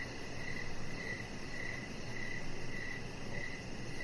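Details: Evening outdoors on a deck with a chihuahua puppy, crickets chirping; about six sharp, high chirps at regular intervals, accompanied by steady low-frequency hiss and a quiet, rapid high pulsing in the background.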